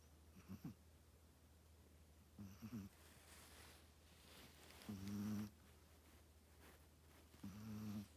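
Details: Sleeping Chihuahua snoring: soft, low, buzzy rasps repeat roughly every two and a half seconds, each about half a second long, over a quiet steady background hum.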